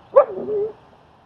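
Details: A dog gives a sharp yelp that slides down into a short falling whine. It happens during a training session in Queens, New York, where the German Shepherd Strike helps socialize another dog, Leonidas.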